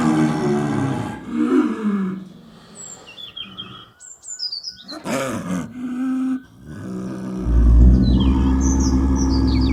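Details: A snow leopard in the wild gives low, moaning calls that swell and fade, with faint bird chirps above.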